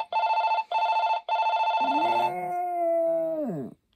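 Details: Pulsing electronic ringing sounds three times before Poppy the Maltese joins in with a smooth, sustained howl that holds level and then drops away at the end.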